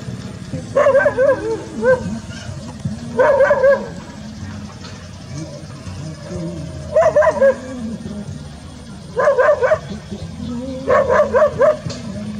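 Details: Labrador Retrievers, a golden and a brown mix, outdoors in a rural rice field. Short clusters of two to four barks sound about every two to three seconds, with low murmuring underneath.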